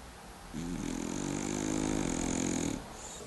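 A French bulldog snores in one long, rough rattling breath, low and buzzy with a fluttering texture. The sound swells steadily for about two seconds, then cuts off, leaving a quiet room hiss.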